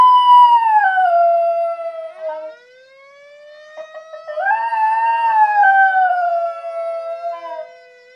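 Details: Pet Schnauzer howling along with a fire siren: long drawn-out tonal wails with bright harmonics, falling slowly, then a pause and a second rising-then-sinking wail, the siren's sweeping tone running beneath.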